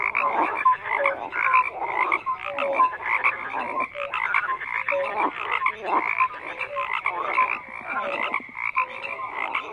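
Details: A chorus of croaking frogs: pulsed, rattling calls repeated in quick bursts with short whistle-like notes scattered between, many animals overlapping continuously.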